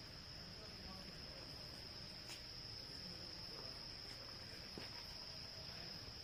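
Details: Cicadas, locally called reriang, heard at night in a jungle: a faint, continuous, steady high-pitched drone throughout, over a broad hiss of background noise with a few soft clicks.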